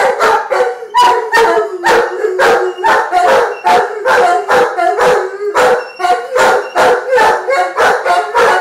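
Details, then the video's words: Giant Schnauzers 'singing', two dogs giving a continuous string of short, yelping howls roughly twice a second, tones sliding and overlapping in a lively, uneven chorus. "Singing Giant Schnauzers"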